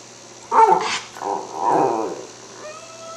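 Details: Hungry Cairn Terrier at home near mealtime, smelling lamb chops, gives a loud yelping burst followed by a longer warbling, grumbling moan, then quiet with a faint tone.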